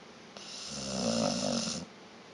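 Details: Sleeping dog named Vita snoring: a single rough, rattling snore lasting about a second and a half, swelling and fading, with a low throaty buzz beneath a breathy hiss, in a quiet room.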